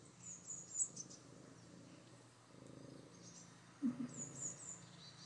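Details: Maine Coon named Katalina, always cuddly after a bath, purrs in a soft continuous low throb broken into regular breath cycles, while thin high-pitched bird chirps come and go behind.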